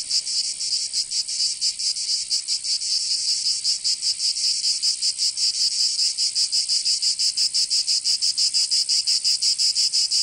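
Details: Summer chorus of cicadas in Provence in the south of France, a harsh high-pitched buzz throbbing in quick regular pulses, slightly uneven at first, then steadier and faster toward the end.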